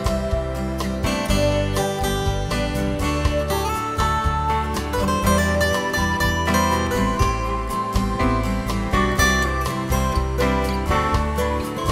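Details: Plucked acoustic guitar and mandolin music in a country style plays continuously, with no animal voices.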